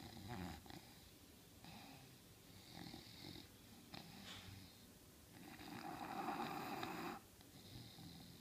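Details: An English Bulldog sleeping on the couch snores in rough, rumbling bursts that rise and fall with each breath.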